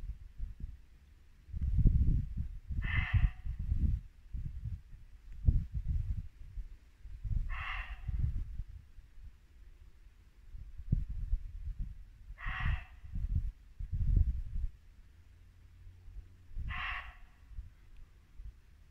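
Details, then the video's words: Muntjac deer barking at dusk in late winter woodland in Norfolk: four short, harsh barks spaced about four to five seconds apart over a steady low rumble of a babbling brook. "Barking muntjac deer"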